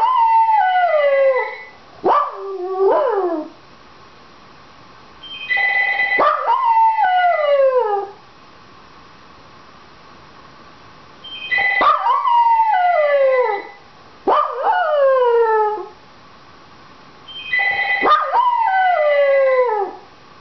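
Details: A Dachshund that wants the phone answered gives drawn-out, falling howls in clusters, each overlapping the loud, repeated trilling of a ringing telephone, with short quiet gaps between rings.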